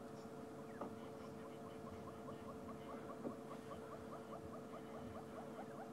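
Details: A squirrel alarm-calls somewhere off the track at sunset in February in Sabi Sand, South Africa: a steady run of short sharp chips, about four a second, over a faint steady hum and soft rumble.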